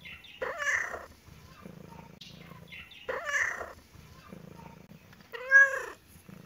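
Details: Kitten and cat at play in a happy mood: two short, muffled meows around one and three seconds, a soft rumble between them, and a louder, clearer arched meow near the end.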